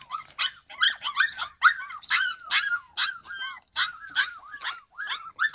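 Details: Yakutian Laika recorded in July 2020, giving rapid high-pitched yelping barks with arched, rising-falling tones, about two per second, in steady bursts with short gaps between them.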